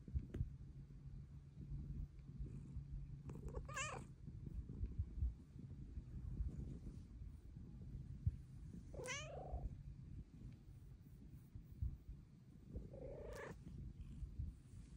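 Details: Purring female house cat wanting to be stroked, her deep rumble constant underneath three separate meows spaced roughly five seconds apart, each a short wavering cry sliding downward.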